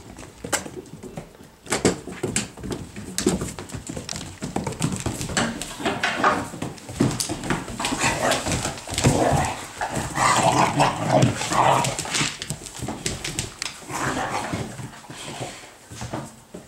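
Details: Puppies indoors in a small room, giving soft whimpering and whining cries with a few short yips, irregular and overlapping, amid rustling and handling noises.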